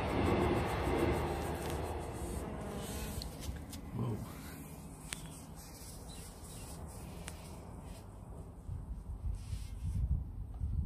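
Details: Honey bees filmed up close: a low droning buzz, strongest at the start, dipping in the middle and swelling again near the end, over a steady low rumble with a few faint clicks.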